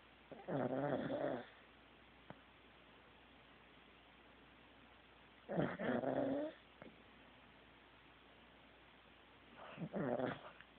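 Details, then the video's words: Teddy the Corgi snores in his sleep: three long, rattling, buzzy snores, each about a second long, coming roughly every four and a half seconds, with quiet stretches between them. "Teddy SNORING"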